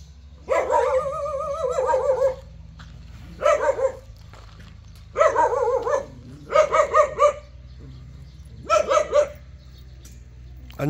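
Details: Jindo dog giving drawn-out wavering howls and yelps, about five bursts spread over eleven seconds with short pauses between, pitched mid-range with rich harmonics, over a low steady hum in the background.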